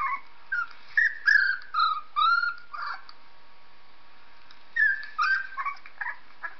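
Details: Whines and squeals of a dog as Purdy hears a 3-week-old puppy played back: quick runs of high, bending whimpers, several rising and dropping in pitch, then a pause before another burst of squeaky cries.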